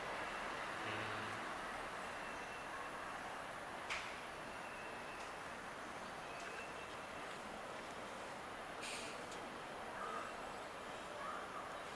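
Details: Steady broadband hiss and low rumble like a passing vehicle, with a few faint clicks and a short high tone.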